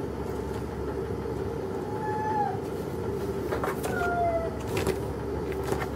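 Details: Cat playing with a box, giving two short, thin meows, the first sliding down near the middle and the second falling slightly a second and a half later, over a steady low background hum and faint rustling.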